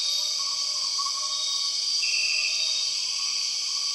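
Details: Empress cicada in Borneo rainforest: an even, high, buzzing drone holds throughout while a higher tone slides in halfway and soft whistles waver below.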